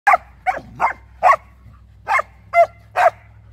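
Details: Samoyed and Keeshond playing in a yard, the older female Samoyed chasing her younger Keeshond brother. Seven sharp, clipped barks sound in quick succession, about two or three per second, with short pauses and a faint low hum behind.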